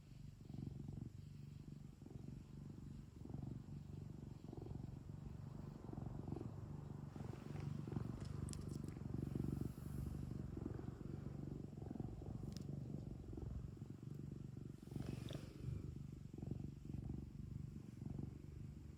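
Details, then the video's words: Home cat purring steadily for nearly twenty seconds, a low continuous rumble with gentle breathing swells, plus a few faint rustling and clicking noises midway. "고양이 골골송 | cat purring"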